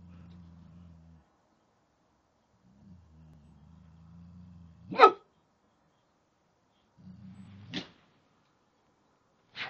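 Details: Frightened Boxer growling and barking at a teddy bear while a retriever looks on. Low, steady growls build for several seconds, then burst into sharp single barks near the fifth, eighth and tenth seconds, with growling between them.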